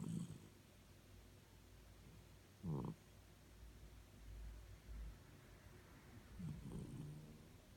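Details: A sleeping Norfolk terrier snores: deep, grumbling rumbles with a few short rasping snorts spaced several seconds apart, soft low breathing between them in a quiet room.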